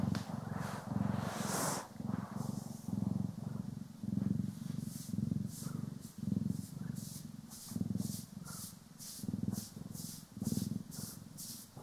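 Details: Domestic cat, one of the pair Poki and Kiwi, purring while being groomed and brushed, stereo recording: a steady low rumbling purr swelling and fading in roughly one-second breath cycles, with bright swishing brush strokes above.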